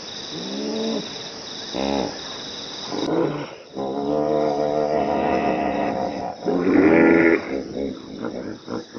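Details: A common hippopotamus in Africa gives deep, rumbling honks in short bursts, followed by a longer groaning bellow.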